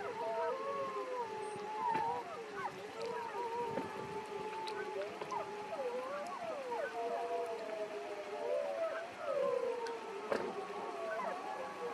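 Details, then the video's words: Wolves of the Wapiti Pack, one of thirteen seen that morning in Yellowstone National Park: several voices howl together in overlapping, wavering tones that slide up and down, forming a continuous chorus with a few brief sharp yips. "Wolves from the Wapiti Pack Howling"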